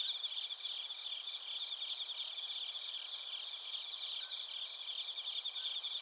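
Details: Bell crickets and crickets calling together in Narita, Chiba, Japan, recorded with a TASCAM Portacapture X8: high, densely layered pulsing trills, no single caller standing out, with a continuous thin whine above.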